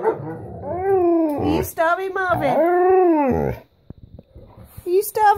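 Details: Pet Alaskan Malamute and Husky, Guinness and Carling, indoors vocalising for their breakfast: arching, harmonic woo-woo howls rising and falling over three seconds, then a short yelp, with a woman's coaxing speech in between.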